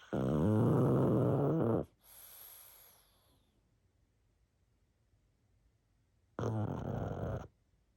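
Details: Pug asleep, giving a loud, deep, rattling snore of almost two seconds, then a hissing exhale, a long pause of quiet breathing, and a second, shorter snore.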